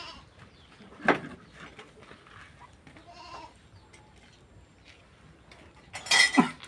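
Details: Goats herded out to graze on land beside a farmed plot: two short, loud bleats, one near the start and a rougher, broader one near the end, with quiet stretches and faint rustling between.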